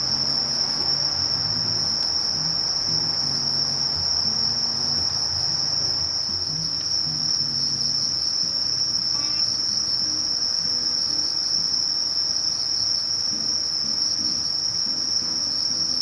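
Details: Sasakiri katydid, Conocephalus melaenus, producing a continuous shrill whine at a constant high pitch for the whole stretch, never pausing, over soft low background rumble and a few faint ticks.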